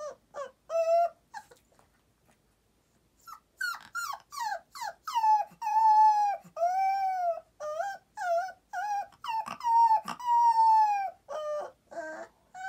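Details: Young boxer's nap-time lullaby: a string of short whimpering yelps building into longer bent, tonal howls, repeated rapidly after a brief silent pause, with no other sounds.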